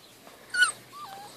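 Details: Great Dane puppy from a litter five and a half weeks old, recorded 4 June 2014, letting out one sharp high yelp, then a thin wavering whine that slides downward, while a person speaks softly about gentle biting.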